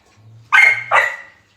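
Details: Two sharp, bright barks about half a second apart from Australian Cattle Dog puppies playing, the second bark tailing off into a short ringing yelp, with a faint low hum underneath.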